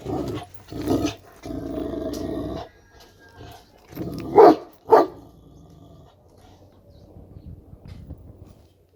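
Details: Deep, grumbling growls from a Kangal dog, broken into several rough bursts, lead into two loud, clipped barks. Then the dog falls quiet, leaving only faint low rustling.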